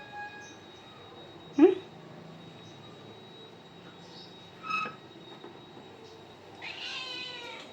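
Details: Domestic cat giving one short harmonic meow near the end, after a brief faint chirp early on, with quiet Kannada speech around it and a steady faint background hum.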